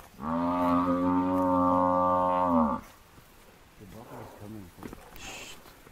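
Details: Under attack from four male lions, an African buffalo bull lets out one sustained, hoarse bellow of roughly two and a half seconds. Low grunting and shuffling follow in the quieter remainder.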